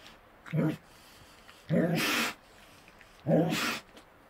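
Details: Wild Tasmanian devils feeding in the Tasmanian bush: three separate low, rough growling bursts, each ending in a broad breathy hiss or snarl, spaced about one and a half seconds apart against quiet background.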